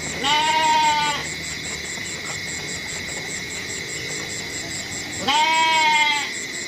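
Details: Goat bleating twice, each a drawn-out, quavering nasal cry of nearly a second, about five seconds apart, with a constant high-pitched hum and faint pulsing noise behind.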